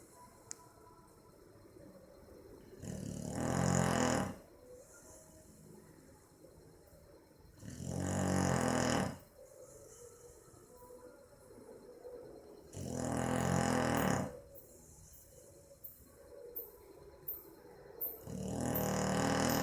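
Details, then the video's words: Boxer dog Maizena sound asleep on 18 April 2015, snoring steadily: four loud, raspy snores spaced about five seconds apart, with soft breathing noise in the pauses. "Meu Boxer dormindo e roncando - cachorro roncando"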